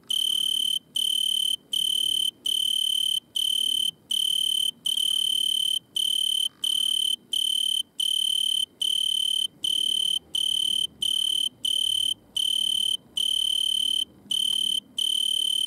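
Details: In a butterfly bush at night, an Italian tree cricket sings by stridulation. Even, high, pure trills repeat with short breaks over a quiet background.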